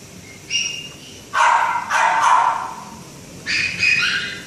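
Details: Great Dane puppy giving a high yelp followed by two sharp, bright barks, then a pair of quick yippy barks after a short pause; room quiet between calls.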